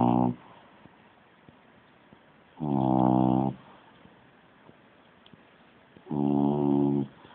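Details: A French Bulldog snores in deep, rattling bursts, each breath coming about every three seconds.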